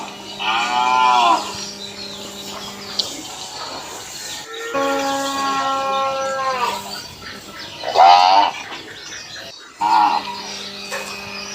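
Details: Village cow in Assam, India, grazing outdoors; a series of four rich, arching moos, the second long and sustained, with steady low humming tones running beneath between calls.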